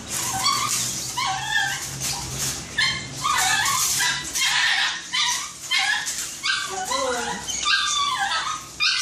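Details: At the groomers for the first time, Shih Tzu Snow keeps up a rapid string of short, high yelping whines, clipped and uneven, about one a second, while people talk in the background.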